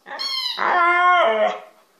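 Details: House dog producing talking-like vocal sounds: a short high yip slides into a sustained, tonal howl with rich harmonics, dropping in pitch near the end, lasting under two seconds.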